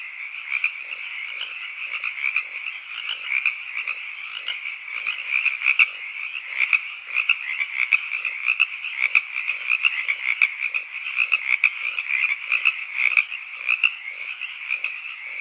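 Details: Evening frog and cricket chorus: continuous shrill trilling overlaid with regular short bright chirps and faint low croaking pulses, repeating at a quick steady pace with no other sounds.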